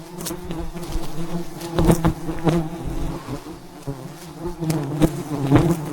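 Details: Thousands of wild bees around a giant hive high in the mountains during a honey harvest; a dense, low droning hum with layered overtones, punctuated by sharp knocks and thuds from the harvesting work.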